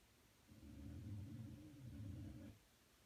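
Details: Punchi, a pet dog, snoring while asleep: one low, rough, buzzy snore drawn out for about two seconds with a steady droning tone, against a quiet background.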